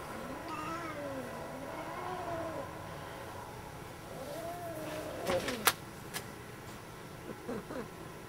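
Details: Pet cat yodeling: long, wavering, singing meows that rise and fall in slow undulations for several seconds, then a few sharp clicks and knocks, over a steady background hiss.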